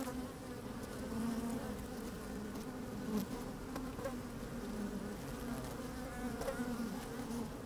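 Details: Honey bees busy inside an open hive in fine sunny weather, picked up by a microphone slid into the colony: constant humming drone, small rises where individual bees buzz louder, soft rustling and a little wind.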